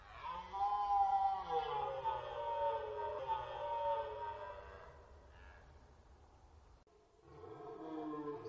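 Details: Archival rutting-season recording of red deer on the Orzysz military training ground: a long, loud, harmonic roar lasting about five seconds that slowly trails off, followed by quieter moaning after a brief pause.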